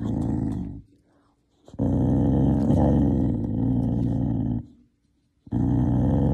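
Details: Pembroke Welsh Corgi puppies growl in low, rough, buzzy bursts lasting one to three seconds, broken by brief silences.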